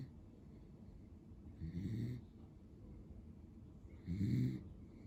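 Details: Pero, a male lemon-and-white Beagle born in February 2015, snores while asleep: two low, rumbling breaths with a soft airy hiss on top, about two and a half seconds apart, in a quiet room.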